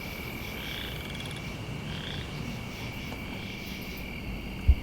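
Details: Chorus frogs, possibly boreal or western, give short, rising, creaky pulsed trills in a swampy wetland by farm fields on an autumn night, over a steady high drone of katydids, crickets and grasshoppers and a low background rumble.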